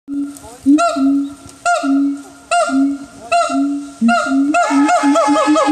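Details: Siamang at Higashiyama Zoo and Botanical Gardens in Aichi, Japan, calling loudly: long steady booming notes alternate with short sharp barks roughly once a second, then speeding into rapid rising whoops near the end.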